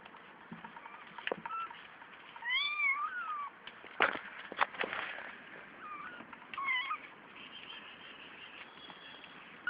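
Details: Five kittens born three weeks earlier, two males and three females; thin, high mews rising then falling, two clear ones and fainter squeaks between, with sharp knocks and handling clicks.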